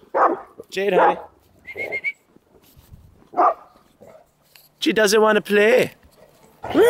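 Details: Daycare dogs at the Animal House in rowdy play, Jade among them, said to bark like a police dog though gentle; sharp tonal barks and yips scattered between a person's remarks and laughter.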